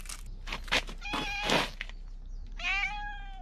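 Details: Stray cat in the Fukugi tree avenue of Bise, Okinawa, calling loudly as if trying to tell something, filmed on a GoPro 9; rustling, scuffing noises first, then one clear, drawn-out, slightly falling meow near the end.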